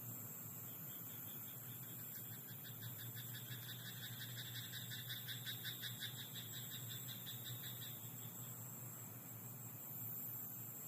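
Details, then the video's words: A frog croaks at night in a rice paddy, giving a fast rattling pulse train of about six seconds, with faint background hiss and a low constant hum. "田んぼのカエル "Croaking frog in rice paddy at night""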